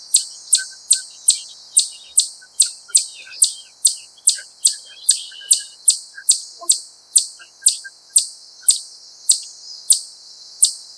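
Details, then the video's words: Wild chipmunk repeating a sharp, high chip about twice per second, each note a bright click-like burst with a brief falling tail; the rhythm holds steady and even throughout, with a few faint softer sounds underneath. "シマリスの鳴き声 ～Chipmunk's cry～"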